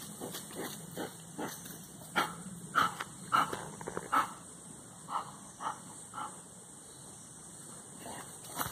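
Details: Belgian Malinois diving in the Messias River at Rio Largo, Alagoas; a run of short, sharp barks spaced roughly half a second apart, loudest near the middle, then fading to softer bursts over a steady hiss.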